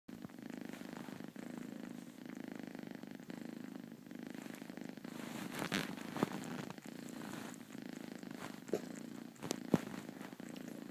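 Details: A four-month-old female kitten purring while half asleep, a steady low rumbling purr pulsing evenly throughout, with a few brief clicks and faint handling noises, indoors.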